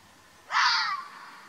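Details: Arabian fox recorded in the wild in Oman gives a short, harsh scream that bursts in suddenly. The cry holds strong for about half a second and then tapers off against a quiet background.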